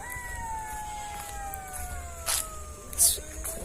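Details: A pack of golden jackals howls from inside woods at night near Ghosh Bari park, Basirhat, long, smooth wails sliding slowly downward, several voices overlapping in the distance.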